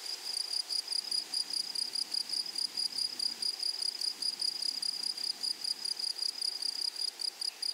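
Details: Grasshoppers in a flowery meadow, a high, thin, tonal chirping pulsed rapidly in steady bursts, with a faint overtone above and a soft background hiss throughout.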